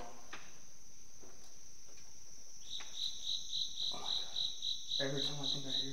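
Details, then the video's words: Indoor cricket at a former care home in Illinois, starting up midway with a rapid, regular high-pitched pulsed chirp, about four pulses a second, while investigators talk in the background. "every time I think I hear something the cricket starts again"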